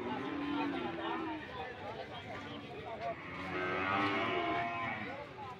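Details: Cattle moos at the Sokaraja livestock market in Banyumas, PO breed, drawn-out lowing from several animals layered over one another, louder toward the end, with people talking nearby.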